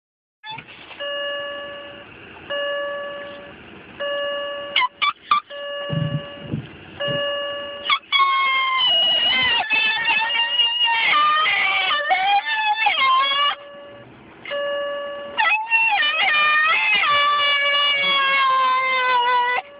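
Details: A white female Miniature Schnauzer, almost two years old, howls in long, wavering, sliding tones in response to a car's repeating door chime.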